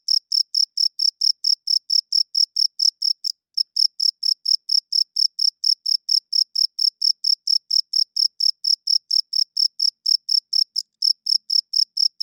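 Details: Cricket chirping loudly at night: clear, high, ringing chirps repeated steadily about four times per second, briefly pausing twice, with no other sounds in a quiet background.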